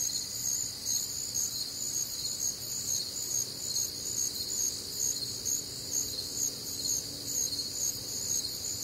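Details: Many crickets calling together through a humid Midwestern summer night: high-pitched pulsing drone in bands, rhythmic throbs around twice a second, steady and even, with soft low rumble underneath.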